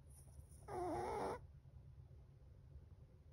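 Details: A seven-month-old Chihuahua asleep and snoring loudly: a single nasal, wavering, whistly snore lasting under a second, set against a steady low hum in the room.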